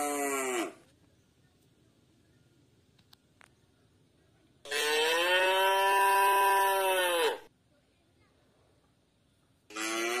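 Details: White village cattle roaming free in a garden give loud, drawn-out moos with rich harmonics: one ends just after the start, a long falling-then-steady moo follows in the middle, and another begins at the end, separated by quiet.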